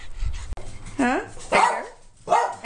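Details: Pet dog Edgar, one of several household dogs that go everywhere and ride in the car, giving three short whining, yodel-like vocalizations with bending pitch, spaced about half a second apart, after a person calls his name.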